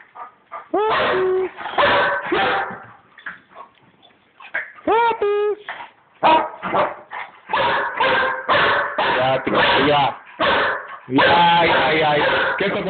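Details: Roaming Chihuahua taken in for half an hour, playing with dogs Cookie and Tequila; high rising whines and yelps open, then dense, rapid barking builds into a continuous noisy flurry, with human voices mixed in.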